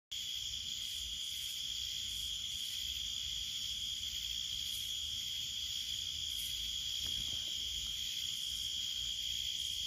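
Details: A cicada's loud, steady, high-pitched drone runs unbroken through the night air in a garden.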